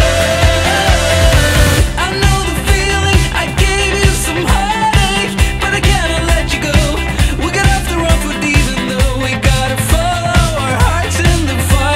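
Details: Loud pop-rock music with sung vocals and a driving beat fills the recording, with no animal sounds.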